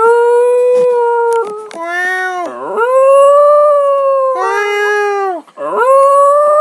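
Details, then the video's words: Pet dog howling while its owner meows: long, steady, tonal howls with rich harmonics, held for over a second, then bending downward and sweeping back up, repeated in drawn-out bouts. "Dog howling mad!"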